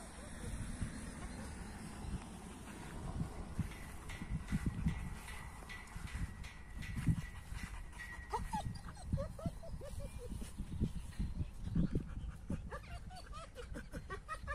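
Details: An AmStaff and a Kuvasz in rough play: low rumbling growls and scuffling build up, then short whiny, rising yelps and grunts come in quick bursts through the second half, with a brief spoken word early on.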